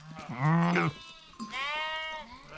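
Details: Rams of Himalayan mountain sheep fighting: first a low, rough, wavering bleat, then a pause of about half a second, then a higher, steadier and longer bleat that trails off.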